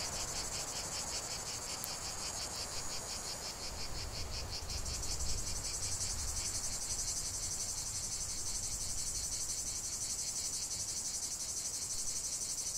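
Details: Cicadas singing en masse: shrill, continuous buzzing that swells and pulses rhythmically about three times a second, with a quieter raspy layer below and a dull low rumble underneath.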